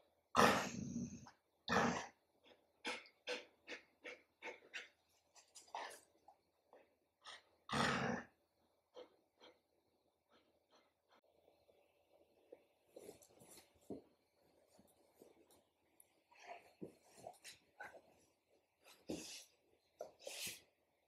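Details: Adult golden retriever son, whose dog mother is teaching him to stay calm. A quick run of breathy, broadband pants comes several per second, then softer scattered breaths and a few louder huffs.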